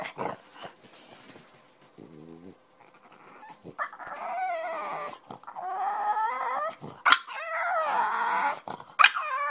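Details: A French Bulldog, rested and jumping off the bed, breaks a quiet start with long, warbling whines and throaty grumbling barks rising and falling in pitch, punctuated by short sharp sounds, to rouse its sleeping owner.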